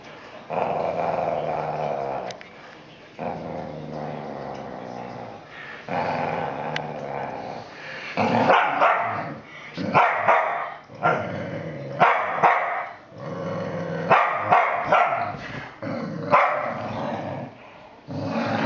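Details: Whippet growling loudly in long rumbling bursts that rise and fall, with short snarling peaks and brief pauses between them, and possible human voices mixed in.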